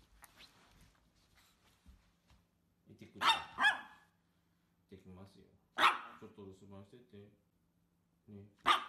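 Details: Micro poodle puppies at home: several sharp, loud yaps burst out between quieter stretches of calm Japanese speech from a person talking to the dogs.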